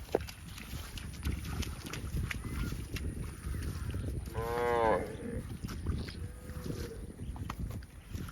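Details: A cow on a farm, out among running, jumping herdmates in the fields, lets out one loud, rich, drawn-out moo midway, later followed by a fainter short call over a low, rumbling outdoor background.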